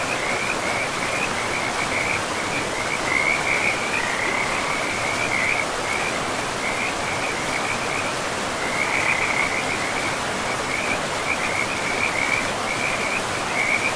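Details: Forest river setting with frogs: bursts of quick trilled croaks repeated in clusters throughout, mid-high in pitch, layered over a continuous hiss of flowing water.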